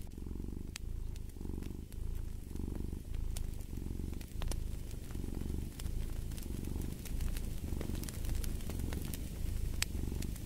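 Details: Domestic cat purring beside a crackling fireplace: a deep, steady rumble that swells and fades in regular breaths roughly once a second, with sharp snaps and pops of burning wood scattered throughout.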